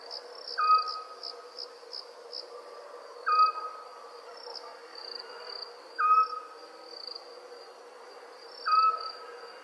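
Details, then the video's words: Nighttime crickets keep up a high, pulsed trill beneath a short whistled call repeated four times at intervals of about 2.7 seconds. "sounds of Owls & Crickets"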